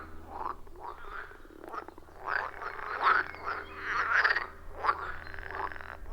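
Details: Frogs calling in a loud chorus around a wild forest pond, captured on an iPhone 14 Pro with a Shure MV88+; overlapping croaks blur together, swelling and fading with peaks near the third and fourth seconds, over a low steady hum.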